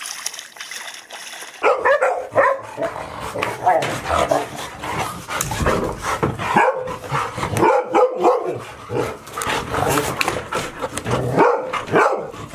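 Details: Puppies of the dog Chiro, 183 days old, at Ain village, Japan, filmed 25 October 2018 as four pups gather. Short bark-like yelps and whimpering voices recur in rapid, irregular bursts, with voices mixed in.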